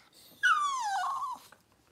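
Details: Cavalier King Charles Spaniel during a litter birth, the mother Daisy delivering six puppies in two hours indoors; a single high whimper slides downward for about one second, tonal and harmonic-rich, in a quiet room.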